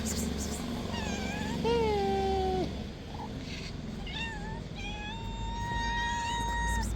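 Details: Three hungry stray cats meow insistently at feeding time, a series of long tonal meows, one sliding down and another held level for over a second, against a constant low rumble.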